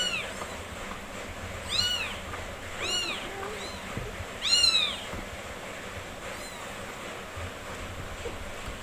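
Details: Newborn kittens, four days old, in the care of their nursing mother cat: a run of piercing, arching squeaky mews in quick succession, loudest near the middle, then a quieter final cry and low background rumble.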